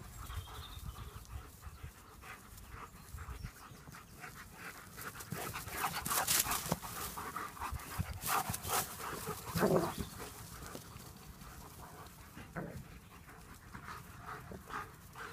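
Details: German Shepherds at play, panting in quick, uneven breathy bursts of broadband hiss, with a few louder huffs and rustles standing out against the steady breathing.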